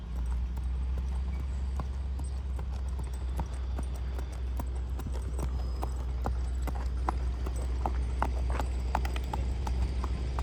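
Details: Gajavar, a Marwari horse in training, taken out riding for the first time in about eight or nine days; irregular clip-clop hoofbeats ring out over a steady low hum.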